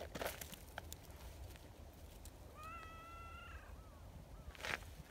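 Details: Community cats at an outdoor cat gathering, among them a shy tortoiseshell newcomer and a kind, plump brown tabby; one steady, drawn-out meow of about a second, with rustling and footstep noises before and after.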